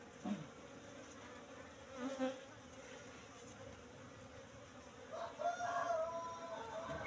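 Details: Asian honey bees (Apis cerana) droning at a box hive being opened for honey harvest, about three months after transfer from the forest; a quiet continuous low hum, with handling noises and louder rustling near the end.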